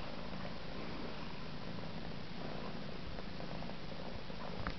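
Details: Domestic cat purring while a kitten brushes it indoors; a steady, low, continuous rumble throughout, with soft faint rustling on top.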